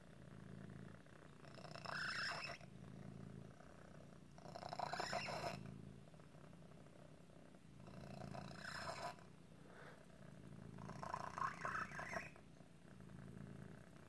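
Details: Domestic cat Otis, whose deformity sometimes makes breathing difficult like asthma, purring continuously; four loud breaths punctuate the rumble, each carrying squeaky, whistling, rising wheezes.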